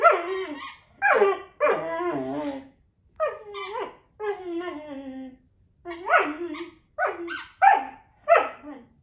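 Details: Puppy whining with a squeaky toy, a habit with any squeaky toy: repeated loud, high, wavering whines and squeals in bursts about a second long, separated by brief pauses, each sliding downward at the end.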